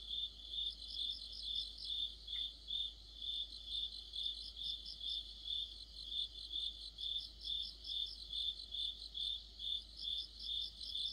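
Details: Crickets with other insects in an autumn chorus: steady pulsed chirps repeated about twice a second, with more high, overlapping trills from other callers layered above and a faint low hum beneath.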